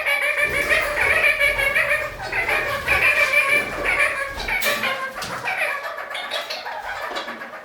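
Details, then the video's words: Kakariki, pet parakeets climbing upside down on a ceiling indoors, chattering steadily with rapid, harmonic nasal notes repeated several times a second, some higher squeaky accents, in a small room. "Kakariki - Spider Birds walk on ceiling"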